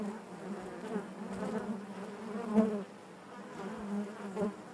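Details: Steady, low-pitched buzzing of bees within the hive, an even murmuring drone with gentle swells and a couple of faint taps.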